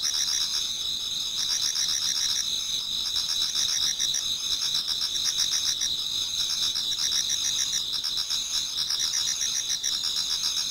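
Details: Many autumn insects singing toward dawn in a Japanese garden, a dense high chorus of steady shrill trills and pulsed chirps layered together, with a fainter pulsing band lower down and no other clear sounds.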